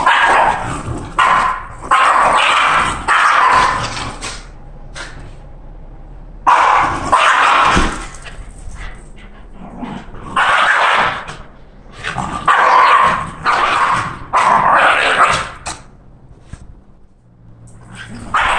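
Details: Female Shiba Inu, excited and going wild on hearing it is time for a walk, gives loud, harsh, wavering screaming yelps in bursts of one to two seconds, separated by short quieter pauses, repeated through the recording.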